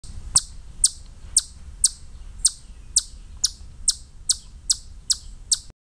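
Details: Chipmunk taunting cats by screaming at them: a steady series of about twelve sharp, very high-pitched chips, roughly two per second and evenly spaced, over a low background rumble.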